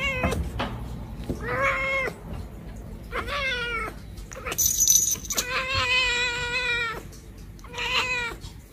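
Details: Cat giving a run of meows, some short and clipped, others long and slightly falling, with one extended wavering meow in the middle and a brief high squeak just before it, indoors.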